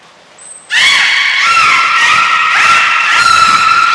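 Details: Captive belugas Gray, Nana and Mirai training at Port of Nagoya Public Aquarium, 7 June 2022. A sustained, loud squealing chorus of bright harmonic tones, pitch wavering and stepping, after a brief high whistle and quiet start.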